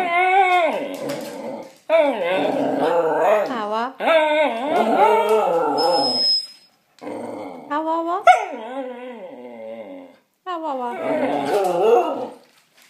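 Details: Male Shikoku dog vocalizing in its talking manner: a series of wavering, yodel-like howling moans, each a second or two long with rising and falling pitch, separated by short silences.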